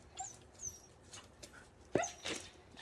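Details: Cheondung-i, a pet dog, after a walk: thin high whining sweeps early on, then two sharp, loud bark-like yelps close together near the end, over steady background hiss.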